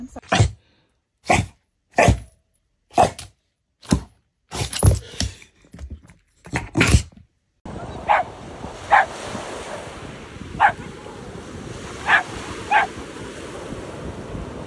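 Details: Dog barking in a funny-dog compilation: about nine loud, sharp barks come in quick succession, less than a second apart. After an abrupt cut, a few shorter, fainter barks rise over a steady background hiss.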